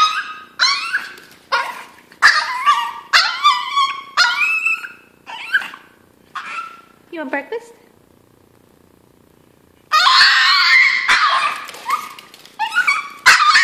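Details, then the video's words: Hungry Chihuahua crying for breakfast, as before every meal: a rapid run of high, quavering whines and yelps, about three per second, then a pause, followed by a long, loud, strained cry and more sharp whimpers. "Hungry Chihuahua cries for breakfast"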